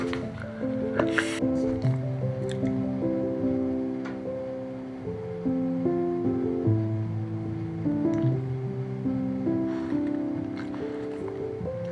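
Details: Gentle melodic instrumental music with soft plucked notes and a few light clicks, and no animal sounds heard.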